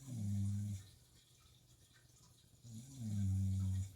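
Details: Shiba Inu snoring while asleep at night, two long low rumbling snores with a quiet pause between them, set against the trickle and drip of aquarium water.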